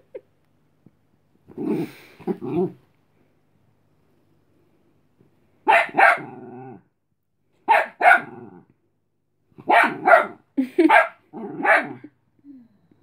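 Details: Tired Chihuahua puppy indoors telling a playful dog to go away: clusters of sharp, high, snappy barks, often in pairs or triplets, spaced by short pauses, with a brief growl at the end.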